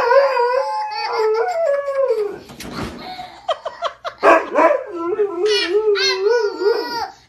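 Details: Siberian Husky chatting with its owner during play: a wavering, singsong whining howl, then a burst of choppy yips and grumbles, returning to a bouncing, modulated moan; a voice may be mixed in.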